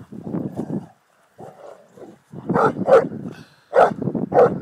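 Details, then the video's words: Boerboel dog having fun, giving a few broadband barks around the three to four and a half second mark after lower growly vocal sounds and a short pause. "Boerboel Having fun"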